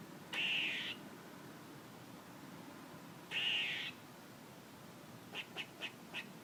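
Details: A squirrel gives two harsh, buzzy, high-pitched bursts about half a second long, spaced three seconds apart, followed by four quick soft clicks near the end.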